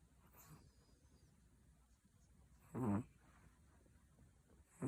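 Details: Chihuahua giving a single short, throaty snore near the three-second mark, with another snore starting at the end and only soft breathing and quiet room sound around them.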